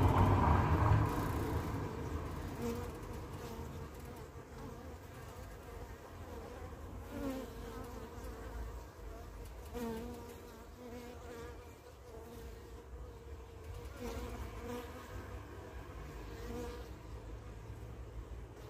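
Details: Carniolan honey bee queen arriving home after her orientation flight; continuous low droning wing hum with brief tonal rises and wavering pitch, loudest at the start then settling to a steady buzz.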